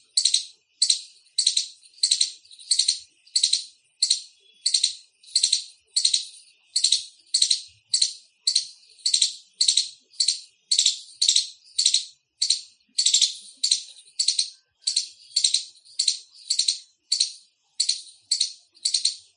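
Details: Loud chirping from an Indian squirrel: a steady run of sharp, high, raspy chip notes, nearly two per second for the whole stretch, each burst brief and harsh, with no other sounds.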